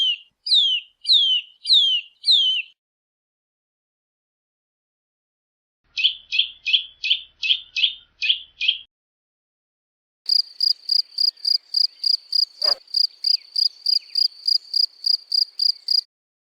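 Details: European field cricket chirping: a steady series of short, bright pulsed chirps, about three per second, running for six seconds after two earlier bursts of quick, high, falling bird-like chirps separated by silence.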